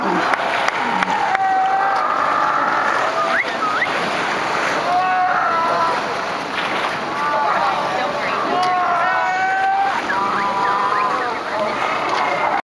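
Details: Sea lion. Thousands of sea lions call at once, their hoarse, bleating barks and wavering honks overlapping into a constant roar. Individual rising and falling calls stand out briefly over the steady din, with a faint wash of surf beneath.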